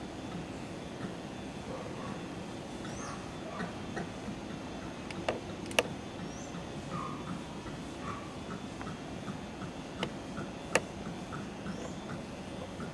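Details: Low, steady roaring of howler monkeys near a Brazilian backyard, a dense rumbling chorus throughout, with scattered short bird notes and a few sharp knocks.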